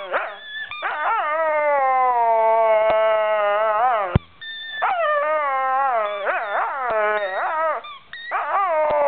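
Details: Molly, a pet dog, loudly talking to her squeaky ball, a long steady howling moan followed by a run of choppy, rising and falling yelping wails with quick pitch swoops and short squeaky bursts.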